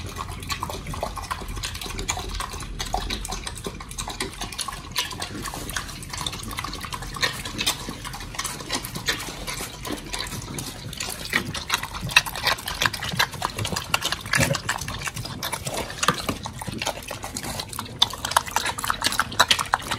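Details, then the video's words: Pit bulls Oli and Nommy eating raw food, giant white snapper, recorded 21 October 2023: a dense, steady stream of wet crackling and clicking chews with slurping, continuing evenly for the whole stretch. "สุนัขพิทบูล🥩กินอาหารสดดิบ🐟[ASMR]MUKBANG 犬が生の肉を食べる[咀嚼音]"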